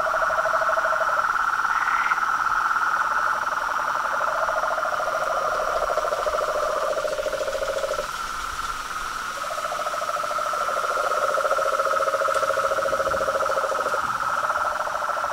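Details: Dusk frog chorus from a pond beside a house: lower pulsed trills switching on and off in several-second bouts over a constant higher buzzing chorus of toads and treefrogs.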